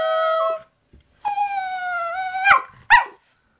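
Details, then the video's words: Pet poodle Zeus, nicknamed ZooZoo, answering its owner's "Say, I love you" with a short, level, harmonic tone, then a longer, drawn-out, slightly falling whine ending in two sharp, yelping bursts. "Conversation with Zeus... My Poodle"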